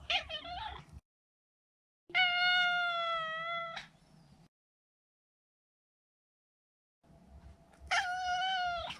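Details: Male neutered Maine Coon calling with three meows: a wavering short one, then two long, full-toned meows that rise slightly at the end, with quiet gaps between them.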